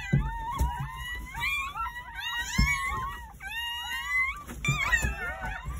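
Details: Newborn Jindo puppy cries recorded indoors at a countryside house on New Year's Day, during the morning birth of nine pups; drawn-out, thin whining notes waver and bend upward, with dull thumps and handling noise underneath.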